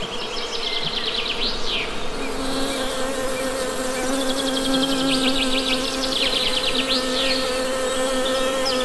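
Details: Continuous droning hum of honey bees, even and sustained with a clear low tone and overtones, overlaid with quick twittering bird calls and short descending chirps.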